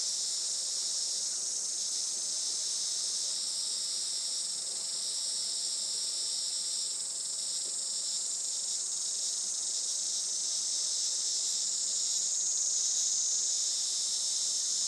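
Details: Summer cicadas at a traditional Japanese farm in Saitama on a sunny late morning, 20 July 2024: an unbroken shrill buzzing drone that swells slightly in places, with a faint higher whistled tone rising briefly near the end.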